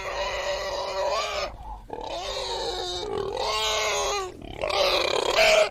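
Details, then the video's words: Pig giving long, loud squeals in four drawn-out bursts, harsh and wavering with strong upper harmonics, separated by brief pauses, no other sounds standing out. "IL VERSO DEL MAIALE | PIG SOUND"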